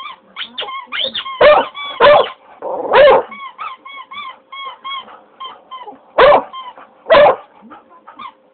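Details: Pet English Cocker Spaniel howling at a child squeezing a squeaky toy: short, whiny, wavering tonal notes repeat in quick runs, broken by several loud, sharp bursts.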